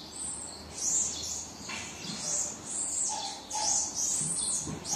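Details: Young marmoset calling for its mother with high, piercing squeaks and drawn-out whistled cries at uneven intervals, some held tones and brief lower chirps between them.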